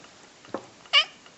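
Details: Pet cat prompted by its owner to "say quva", answering with one short, bright, harmonic meow after a soft preceding sound, indoors in a quiet room.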